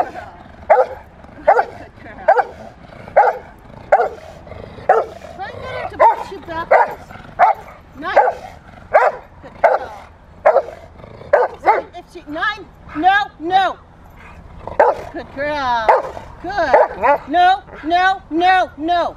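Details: Female Rottweiler playing in protection training, recorded March 18, 2021: loud harmonic barks repeated roughly every three-quarters of a second. Later barks become wavering, strained and whine-like, while faint human voices run underneath.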